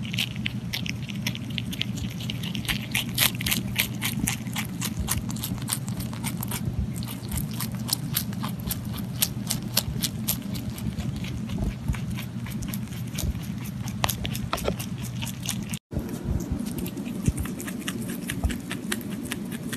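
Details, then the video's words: Pontan the rabbit eating, indoors: a dense, steady run of crisp crunching clicks throughout, with a constant low hum beneath and one brief dropout near the end. "ぽんたんうさぎの色々な咀嚼音｜Eating sounds of Pontan Rabbit"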